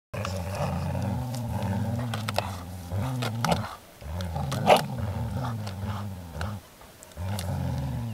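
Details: Groenendael dogs growling while resource guarding during play: a continuous low, rumbling growl with rising and falling pitch, broken by a few brief louder bursts and short pauses near the fourth and seventh seconds.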